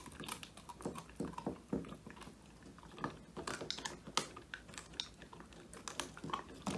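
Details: Male Old English Sheepdog named Woody crunching through a whole quail as his first treat, recorded on a phone indoors: dense, uneven run of sharp crackling bites and wet chewing, no other sounds.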